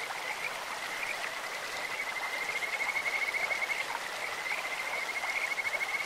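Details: Kajika frogs calling beside a clear stream: an almost unbroken high trill of quick pulsed notes on a steady pitch, with a few brief chirps on top, set against steady water noise.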